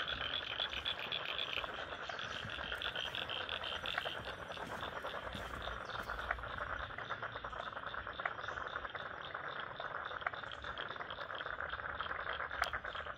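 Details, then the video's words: Frog chorus in a wetland at Lane Cove National Park, Sydney, softer and more distant: rapid pulsing calls form a continuous rattle, with occasional sharper clicks standing out. "Frogs in Lane Cove National Park wetland"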